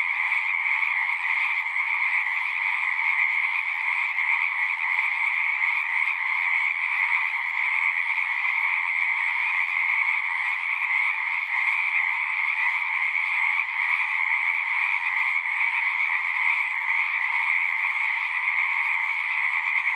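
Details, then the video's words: A massed chorus of singing frogs forms a continuous, pulsing wall of trilling at two stacked pitches, very constant in level across the whole stretch, with no other animals or noise standing out. "One hour of singing frogs."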